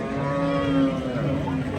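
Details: Cattle brought for Qurbani sale at the Hazratpur market in 2026; a long, low, droning moo holds steady throughout, set against busy market noise.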